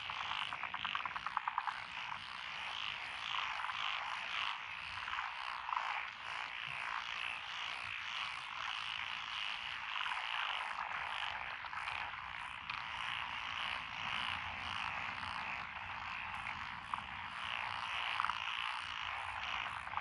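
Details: Evening-style chorus of many frogs in lotus paddies, Echizen, Fukui, Japan, June 2021: an unbroken wall of overlapping croaks and trills, rapid clicking pulses at the start, and a faint low rumble later on.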